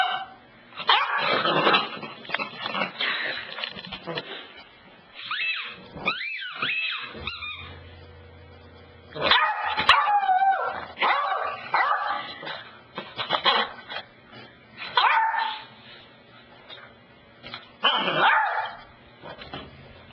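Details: Cassidy the dog worked up over the couch: twenty seconds of irregular barking and yipping in clumps, mixed with whiny, wavering cries and short gaps of near quiet.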